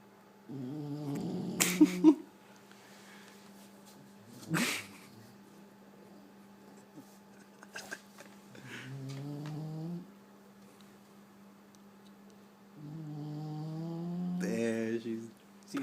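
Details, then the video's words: Loud snores from a sleeping bulldog, three long rattling breaths spread through the stretch with quiet gaps and a few soft knocks in a small room. "Snoring Bulldog"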